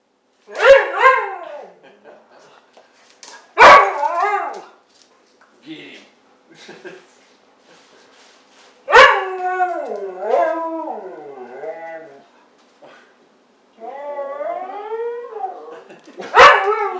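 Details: Siberian husky playing around with a person, giving loud drawn-out harmonic yowls that bend up and down in pitch, in short bursts separated by pauses, with a man's voice speaking Spanish in between.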